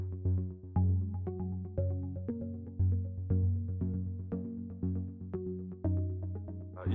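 Electronic music with a deep synthesizer bass line and steady beats; no animal sound.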